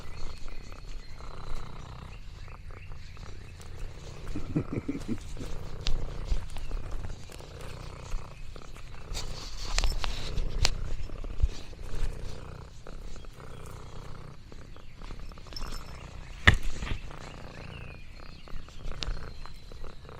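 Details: Lexi, an orange tabby, purrs contentedly while roaming a farm: a soft, steady low rumble with scattered crackles and clicks, and a faint high whistled tone drifting in the background.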